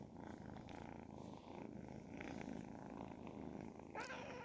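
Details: Continuous low purring from Ragdoll kittens ten and twelve weeks old, fairly even in loudness throughout, ending with a short rustling burst.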